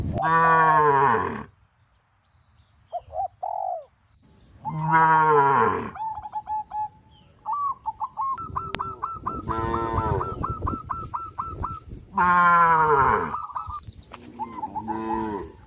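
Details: Tame cows crowding the fields, running and jumping for joy, let out deep, rich moos every few seconds, each lasting about a second. Quick trains of thin high chirps fill some of the gaps, with quiet spells between calls.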